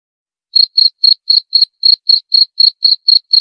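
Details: Cricket chirping, played to drive away rats: a clean, evenly repeated series of short high-pitched pulsed chirps, about four per second, with no other sounds.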